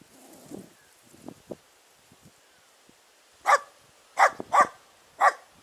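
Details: Dachshunds barking during a driven fox hunt in Victoria on 23 July 2017: faint rustling and soft thuds at first, then four sharp, loud barks in the final two seconds, two of them in quick succession.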